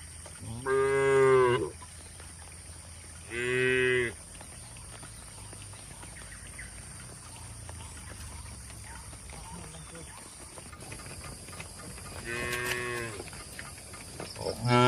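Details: Tame cattle kept in a village shed in Indonesia give two quick moos close together, then a long quiet gap before another moo and the start of a fourth.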